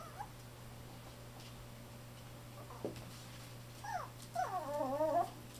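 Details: Fawn male Chihuahua-Poodle mix puppy born 9 July, indoors: a few short, high, falling squeaks, then a louder wavering, quavering whine near the end, over a steady low electrical hum.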